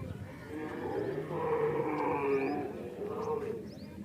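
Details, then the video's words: Camel of a heavy breed at a camel market during the mating season, calling before mating: a low, drawn-out, gurgling rumble with layered tones, swelling in the middle and fading, with faint background chatter. "beautiful breed of camel is making noises in camel mating seasons"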